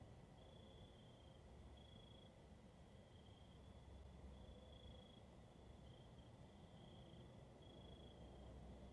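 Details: Crickets at night: high, thin trilled chirps in bursts of roughly half a second to a second, recurring irregularly throughout, over a constant low rumbling background noise.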